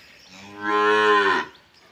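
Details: A red Nukra heifer on a cattle farm gives a single drawn-out moo of about one second, harmonic and steady, swelling then stopping abruptly, with quiet surroundings.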